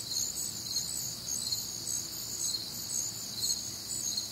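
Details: Crickets and other nocturnal insects on a warm, humid Midwestern summer night; a dense high chorus of pulsed chirps, roughly two per second, overlapping steady trilling bands, with no other clear sounds.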